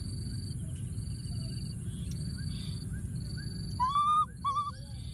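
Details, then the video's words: Wild baby monkey hiding in a thorny tree, calling for his friend: two loud, clear, slightly wavering whistled cries near the end, over steady pulsing insect buzz and low rumbling background noise. "What a p.o.o.r baby monkey, hiding in a thorny tree and continuing to call for his friend"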